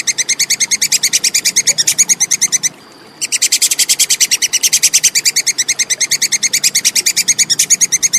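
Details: Plantain squirrel giving a clear, relentless chatter, recorded as tutor material for songbirds: crisp high clicks pulsing rapidly and regularly, with one short pause where a thin steady tone shows, then continuing unbroken.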